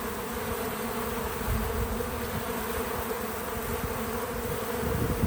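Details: Many bees buzz together in a steady, low droning hum while visiting a feeder outdoors on a small farm, with a faint crackle of background noise.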